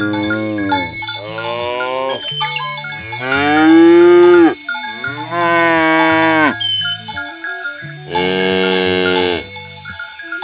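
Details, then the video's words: Morning herd of healthy cows led by a shepherd toward the field: four or five long, resonant moos, some rising in pitch, separated by short pauses, over constant tinkling cowbells. "Suara Sapi Moo"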